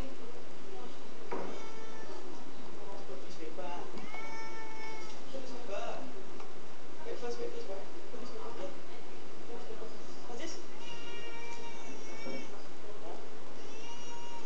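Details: Niko, a pet cat described as nervous and repeatedly looking behind him, gives drawn-out harmonic meows, a longer pair in the middle and a rising, wavering series near the end, with a person talking over a steady background hiss.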